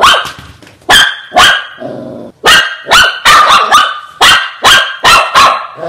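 A Shih Tzu gives sharp, high-pitched barks in quick, uneven bursts.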